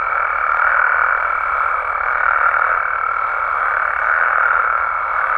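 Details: Nighttime chorus of Mexican frogs and toads in the wild, a thick continuous wall of massed calls with a thin sustained high tone over it throughout.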